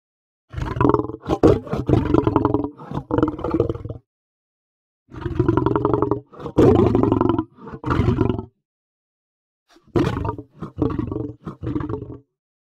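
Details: Lion giving rough, pulsing growls and roars in three bouts of choppy bursts across about twelve seconds, deep and grating, separated by silent pauses.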